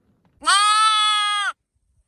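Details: Single lamb or sheep bleat, a steady, bright, nasal cry held for about one second with rich harmonics, clean and isolated in silence.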